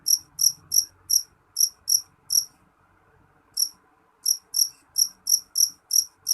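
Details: Jangkrik jeliteng cricket giving loud, shrill chirps, about three a second, each a short high pulse. It goes silent for just over a second midway, then resumes the steady chirping. Faint low background hum.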